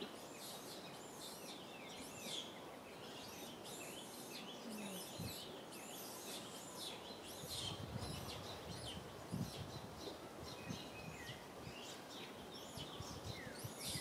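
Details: Young monkey Rain cries from a tree, begging mother Rany for milk; a run of shrill, rising-then-falling wails comes in quick succession, with low rumbling outdoor noise underneath and a few louder thumps.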